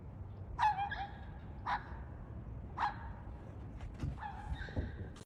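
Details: Short, piercing, scream-like yelps come from a female pet dog, aimed at the neighbour's dogs in place of barking. Five or six calls in quick, uneven succession, each a harsh, wavering squeal over low background noise.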